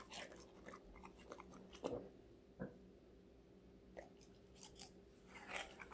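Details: Female Golden Retriever puppy Connie, five months old, munches assorted vegetables indoors for an ASMR recording. There are a few separate crunchy bites and chews, spaced out by quiet gaps over a faint constant hum.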